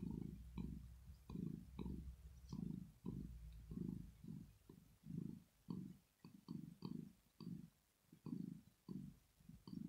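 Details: Sleeping female cat Rosetta purrs contentedly; deep throbbing bursts come in an even rhythm of roughly two per second over a constant low hum, the breath audible between pulses.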